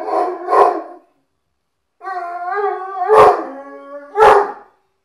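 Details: Irish Wolfhound Murphy howling as he expects his owner's girlfriend home: two short barks, a pause, then a steady drawn-out howl broken by two sharp barks.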